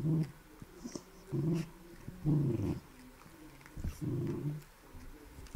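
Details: Beagle in company with a Shiba Inu, heard close up: four low, throaty growling rumbles of under a second each, evenly spaced, with small clicks and rustles in between.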